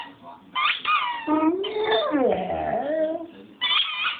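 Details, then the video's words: A dog called Chooch singing: a long yodel-like howl that swoops down and back up, framed by shorter high whimpering notes at the start and end. "Chooch singing"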